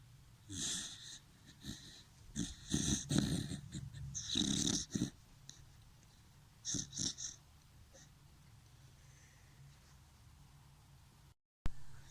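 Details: Dachshund dog snoring: a run of rough, wheezy, breathy snorts packed closely over the first five seconds, a short cluster a little later, then quiet breathing over a low steady hum.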